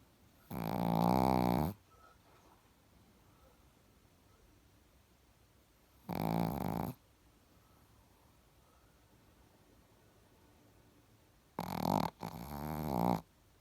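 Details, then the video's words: Sleeping Chihuahua snoring indoors: three rasping, throaty snore bursts about six seconds apart, each near a second long, the last broken into a quick double snort, with quiet room tone between. "ЧИХУАХУА. СПИМ И ХРАПИМ"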